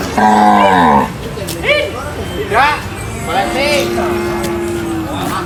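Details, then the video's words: A cow being unloaded from a truck at a market gives a loud, deep, drawn-out moo lasting about a second, with strong harmonics. Excited human voices and shouting follow over a busy background. "funny cow unloading from truck at the market"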